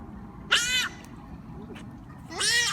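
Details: Wild giant otters greeting visitors while playing: two short, high, harmonic squealing calls about two seconds apart, each lasting roughly a third of a second, over a low rumbling background.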